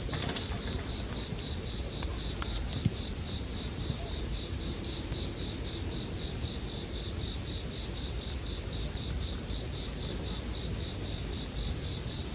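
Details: Sleep ambience of bell crickets beside a campfire: one unbroken high-pitched trill rings evenly from start to end, with only a few faint fire crackles early on.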